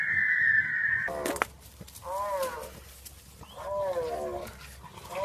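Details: French Bulldog in a compilation of funny puppy moments, giving two drawn-out, wavering whine-howls that bend up and down in pitch, with a steady electronic tone at the start and faint voices in the background.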